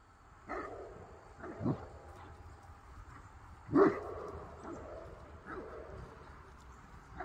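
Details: Farm Great Pyrenees chasing a crane by the pond gives a series of short, deep barks spaced about a second apart, the loudest near the middle, over low background noise.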